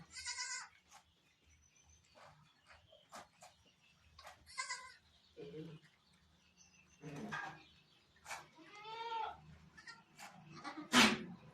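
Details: Barbari goat at delivery time on a Sultanpur goat farm, giving several scattered, fairly quiet bleats among clicks, rustling and occasional voices, ending with a sharp knock.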